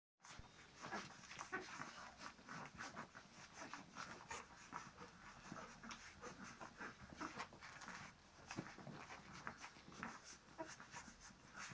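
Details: Maremma Sheepdog puppies from a litter born 20 August 2017, breathing and panting in quick, breathy bursts with soft whimpers scattered through the recording.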